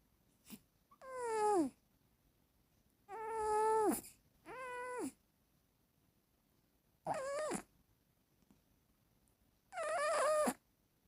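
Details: Female domestic cat snoring while asleep and dreaming indoors: five drawn-out, tonal, whine-like snores with rich harmonics, each under a second long and dropping in pitch at the end, separated by silent pauses in a quiet room.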